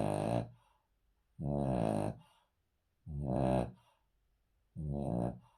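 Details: Snoring Cavalier King Charles Spaniel, asleep on a floor inside a house: four drawn-out rasping snores, some wavering in pitch, arriving about every one and a half seconds over a silent background.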